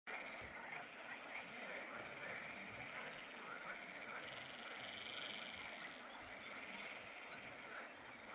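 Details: Water frogs calling in a pond in the Drava valley, Slovenia, on 11 May 2024: a dense continuous chorus of rattling, croaking calls blending into a steady wash, with no single caller standing out.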